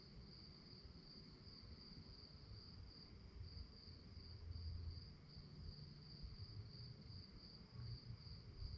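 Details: A nighttime cricket chorus gives an unbroken, thin, high trill, while deeper rumbling noise swells and fades below it.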